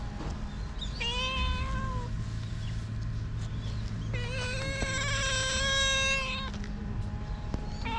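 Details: Stray cats meowing: a long, level, tonal meow lasting about a second, then a louder, longer, strained meow after a pause, with a low background hum throughout.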